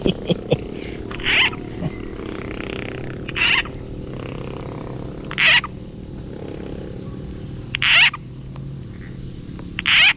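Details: Bullfrogs calling at night while being caught by line fishing; short harsh bursts repeated about every two seconds, five in all, over a steady insect-like hum, with people talking quietly before.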